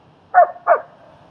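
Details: Dog training in Queens, New York: German Shepherd Strike helps socialize Leonidas. Two sharp, loud barks in close succession, each under a quarter second, then quiet.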